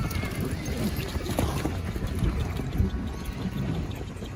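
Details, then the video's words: Horses galloping and neighing: dull, uneven hoof thuds over a constant low rumble, with a faint higher whinny tone drifting through in the background. "Som de Cavalos Relinchando e Galopando"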